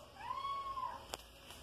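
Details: Soneca, a five-month-old pet kitten hunting flying insects indoors, utters a single smooth, level meow lasting over half a second, followed by a brief sharp tap over a faint room hiss.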